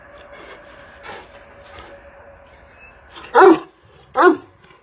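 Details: Large Kangal shepherd dog giving two loud, deep, hoarse barks close together after a quieter stretch with faint background noise.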